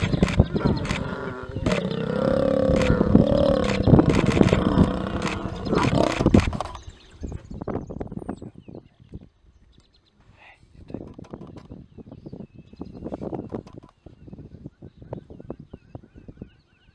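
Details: Lion mating in Timbavati as a male, seemingly new to the pride, tries to mate with a pride female and scuffles with the females for dominance; a loud, harsh, rumbling growl lasts about six seconds, then fades to quieter rustles and clicks.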